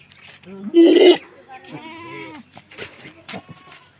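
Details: Boer goat on a goat breeding farm in Nepal, 2021: one loud, wavering, nasal bleat, then a shorter arched bleat, with a human voice speaking close by and other faint farm sounds.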